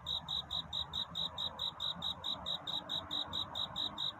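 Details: Cricket courtship song in the night: shrill pulsed chirps at a steady pace, a little over two per second, with a quiet low noise floor throughout.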